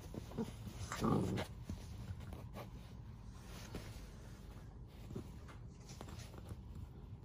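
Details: A female golden retriever puppy drops her bone and gives a single short, high bark to ask for help.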